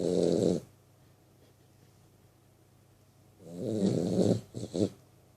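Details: A 3-month-old vizsla pup snores in low, rattling bursts separated by quiet breathing.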